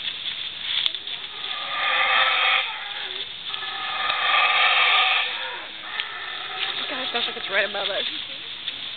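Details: Howling of a howler monkey in Belizean tropical forest: hoarse, drawn-out roaring in surging bursts, rising to peaks and easing off, with a brief human voice near the end.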